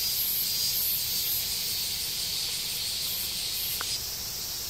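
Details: Cicadas droning in woodland on the Tokai Nature Trail, Japan, hiking toward Sekigahara: an unbroken high-pitched sizzle with a few brief pulsing accents early on, fading slightly near the end, plus one short click.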